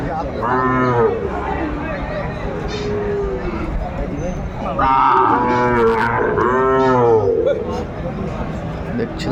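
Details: Sahiwal breed cattle and a bull calf at a cattle market in Kurigram, Bangladesh, 14 December 2024. Arched moos come in two clusters several seconds apart, partly overlapping, with people talking throughout.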